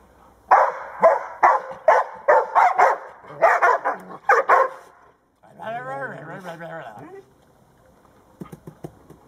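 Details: Playful barking from Old English Sheepdogs Blade and Sky, aged 19 months, with their owner: about ten rapid, gruff barks, then a brief wavering vocal sound and a few faint clicks near the end.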